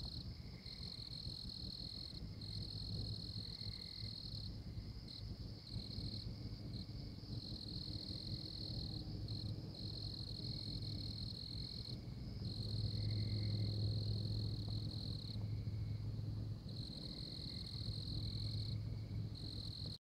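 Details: High, ringing trills from a tree frog in Oklahoma, repeated in bursts of several seconds with brief gaps, above a steady low hum that swells slightly midway.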